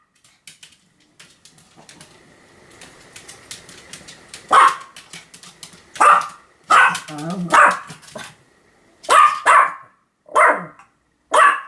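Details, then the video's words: Continuous barking by Sam, a Pomeranian, recorded 7 October 2015: soft clicking and tapping at first, then about eight loud, high barks in irregular pairs and singles, one with a brief growly tail. "犬の鳴き声 ポメラニアン サムの連続吠え"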